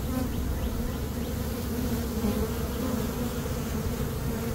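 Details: Swarming honey bees in early May, being caught by a beekeeper: a thick, unbroken low buzzing drone with steady humming tones and no other clear sounds.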